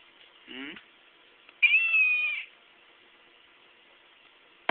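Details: Chocolate point Siamese, four months old, answering its owner: a short soft chirp with falling sweeps, a pause, then a loud drawn-out nasal meow under a second long, followed by silence and a sharp click.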